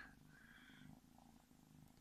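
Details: Purring domestic kitten born February 2017, cuddled indoors; continuous low rhythmic rumble with soft breathy pulses and faint higher tones early on.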